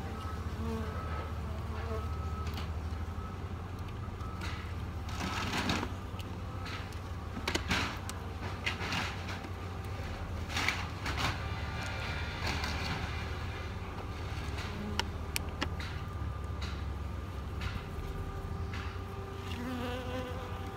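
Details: A package of about 10,000–12,000 honey bees with a mated queen, being installed into a new hive, gives a low, steady hum of many bees buzzing together, with scattered knocks and rustles.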